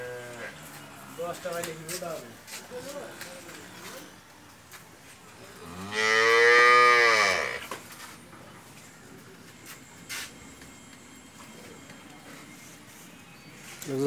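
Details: Friesian cow of four-tooth age, in her second calving with a bull calf and yielding 27 to 28 litres of milk; soft low murmurs come first, then a loud, drawn-out moo lasting about two seconds over faint room noise.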